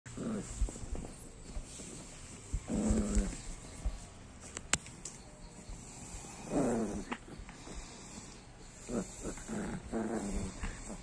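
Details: Female pinscher, a small pet dog, with an alligator: short harmonic growling bursts come and go every few seconds over a quiet, steady household hum, with a sharp click midway.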